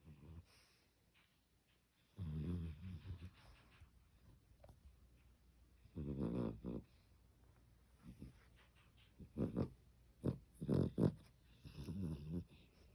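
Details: Sleeping pet dog talking in its sleep while dreaming that its younger sibling takes its treat: irregular bursts of low grumbling, muffled whines and short snorts over several seconds, indoors.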